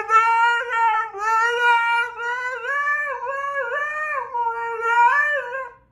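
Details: Siberian Husky nagging: a drawn-out, wavering whine-howl with pitch stepping up and down, delivered in several long phrases split by short breaks, each bending and sliding like complaining speech, fading away at the end.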